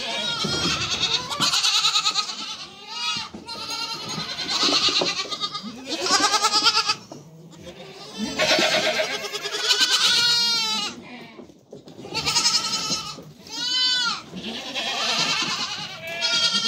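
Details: Goat mother and offspring keep up a busy exchange of bleats; clusters of curved, shaky cries separated by short silences, young high-pitched voices mixing with deeper adult calls throughout.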